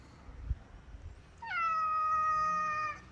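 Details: Domestic cat giving one long, drawn-out meow lasting about a second and a half, steady and slightly falling in pitch, after a quiet stretch with faint room noise.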